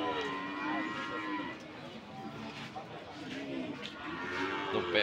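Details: Moos from cattle at Sokaraja market, Banyumas, recorded 19 August 2022: a long, rich lowing call at the start and another rising moo near the end, amid busy crowd chatter and clatter of the market.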